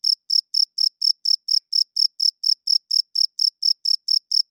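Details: Night-time chirping of a male cricket, made by rubbing the wings to court females and claim territory: a loud, even train of about nineteen shrill chirps, roughly four per second, with no other sound.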